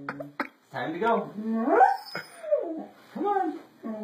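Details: Siberian Husky vocalizing in a small room: wavering, harmonic howl-like glides that rise and fall through several short phrases, with brief pauses between them and no other clear sounds.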